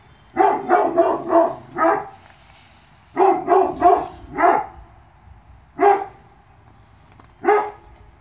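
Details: Young Presa Canario puppies from a litter born 2/10/2016. High-pitched puppy barks come in rapid clusters of four or five, then in isolated single yaps at uneven intervals, over a quiet indoor background.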